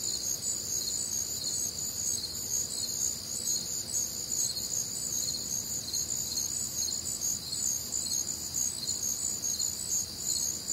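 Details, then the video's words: Crickets on a warm, humid Midwestern summer night: a dense, unbroken chorus of shrill, high pulsing trills in several stacked layers, steady in loudness throughout, with only a soft low night hum beneath. "Night Time Cricket Sounds"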